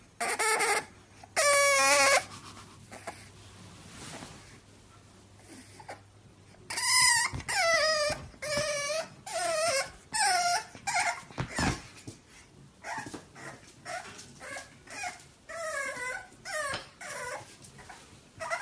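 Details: Bulldog puppies whimpering and whining in a series of high, wavering cries that bend up and down, some drawn out and others short and clipped, coming in quick bursts with brief pauses between them, alongside faint low rustling.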